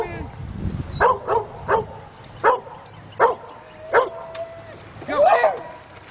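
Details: Two dogs adrift in a canoe bark incessantly as a black Labrador swims from the shore to pull them back by the rope; a run of seven sharp barks about every half second to second, ending in a longer whining yelp.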